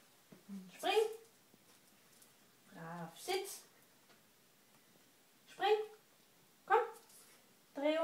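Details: Bobi, a Shih Tzu-Pekingese mix, during trick training that includes sitting up to beg, sit, down, spin and giving a paw. Five short, sharp barks come at uneven intervals, with a person's voice speaking between them.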